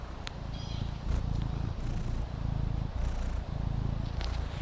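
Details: On a patio, the relaxing Maine Coon kitten Fendi gives a deep, rhythmic purr that pulses in a steady rumble, with a few faint high chirps and clicks behind it.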